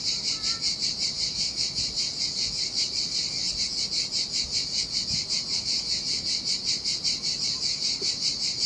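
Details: Cicadas singing in the summer heat beside the sea on a desolate Sardinian beach: a dense, high, hissing buzz that pulses steadily about two or three times per second throughout, over a soft low wash.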